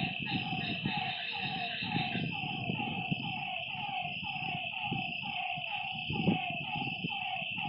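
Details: Lakeside frogs at night: a long, regular train of brief descending notes, several callers overlapping, beneath a steady shrill chorus of night creatures.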